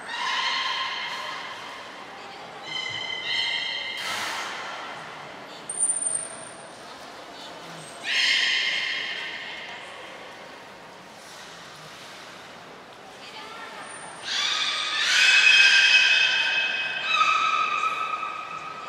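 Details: Captive beluga during a short training session at Port of Nagoya Public Aquarium, 25 July 2021. It gives repeated harmonic squealing calls in bursts, with a few long bright nasal cries. A high steady trainer's whistle sounds twice.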